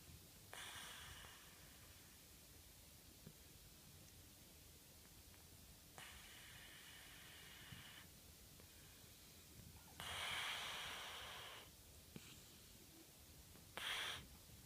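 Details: Hime-chan, a pet cat with slight rhinitis, snoring while asleep: soft hissing, breathy rasps recur every few seconds, each a noisy airy burst, the last ones louder, in a quiet indoor room.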